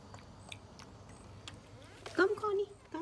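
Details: Feral cats asking for food: after a stretch of soft clicks and chewing noises, one short harmonic meow rises and dips near the end, followed by a brief second note.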